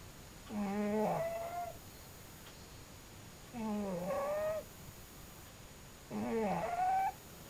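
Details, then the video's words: Cat snoring in its sleep: three rough, tonal breaths, each about a second long and sliding upward, repeated every three seconds in a quiet room. "cute snoring cat"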